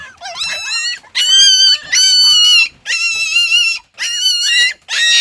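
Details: Puppy from a litter of six crying in loud, drawn-out whining wails, each about half a second to a second long with a wavering high pitch, repeated with short gaps between them in a small indoor space.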